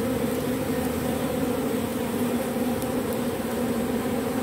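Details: Robber bee taking propolis from matchsticks for reuse. Dense, even humming of wingbeats, a low steady tone doubled by a higher harmonic, with a few faint ticks and no pauses.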